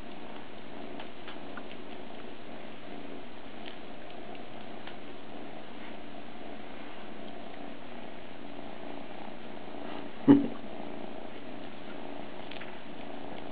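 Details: Captain Cat Sparrow, a two-month-old kitten, purrs steadily indoors: a continuous low rumbling drone across the whole stretch, broken only by one brief tap near the end.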